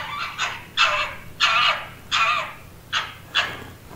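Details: Red fox giving harsh, raspy screams and barks, presented as mating calls and quarrelling sounds, six bursts in four seconds, some short and some drawn out, with no other sounds behind.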